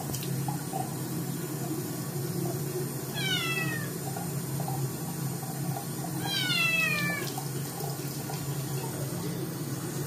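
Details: A Scottish kitten whose paws got dirty gives two loud, high, falling meows in protest at its second bath, with running water behind.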